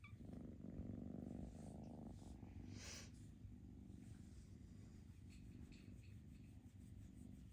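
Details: Foster kittens during a socializing session, purring in a low, steady rumble that holds throughout, with a brief soft rustle near the third second.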